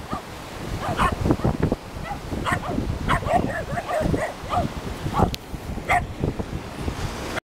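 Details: Barking of a wild sea lion on the shore near Máncora, northern Peru: rough, yelping barks in irregular bursts every second or so, with surf and wind noise underneath.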